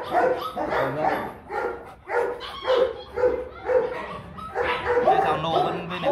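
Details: Rottweiler, a large dog breed, barking in a series of harsh, broad bursts roughly twice a second with uneven spacing and short pauses, while people talk over the barks throughout.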